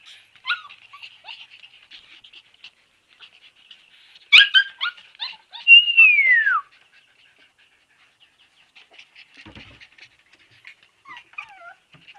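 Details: Husky puppies, Siberian breed, with soft scattered whimpers, a sharp burst of yips, then one long drawn-out whine sliding downward, followed by quiet faint squeaks.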